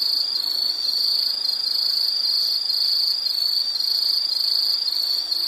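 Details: Nature sound of an insect: a bright, high, unbroken trill that swells in pulses about twice a second over a quiet background.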